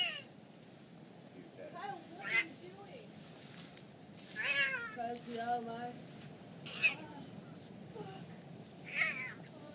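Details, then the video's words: A cat confronting a boa constrictor gives a few short, harmonic meows that rise and fall, spaced irregularly. People talk in Spanish and laugh nearby. "Cat vrs boa constrictor"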